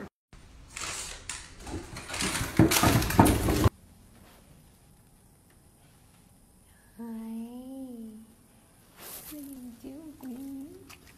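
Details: Golden Retriever indoors giving drawn-out, wavering whines after loud human talk and kitchen clatter. Two whines: one rises and falls for about a second, a second wobbles several times. Quiet room between them.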